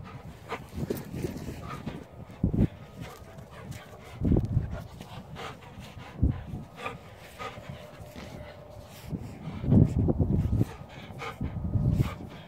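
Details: Dobermann giving deep, heavy barks in single bursts spaced about two seconds apart, five or six across the stretch, with low rumbling background noise between them.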